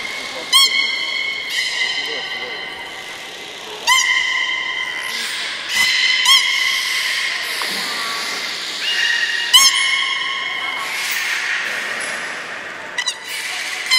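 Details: Belugas at Port of Nagoya Public Aquarium, leftover-fish feeding session, 13 May 2017: a dense run of overlapping steady whistles with rich overtones, several starting with sharp clicks or chirps, some rising, continuing almost without pause for fourteen seconds.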